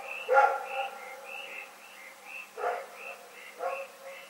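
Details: February 27, 2018, at night: Rex the dog gives a loud bark followed by two softer barks about a second apart, against a regular high chirping in the background.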